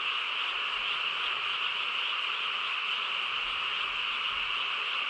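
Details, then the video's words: Frog chorus in a quiet rural night: steady, dense layers of rapid trilling croaks overlapping without pause, with faint low rumbles underneath. "고요한 시골 밤에 개구리 합창 소리"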